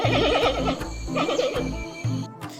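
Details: Giant panda; hunger call; signalling hunger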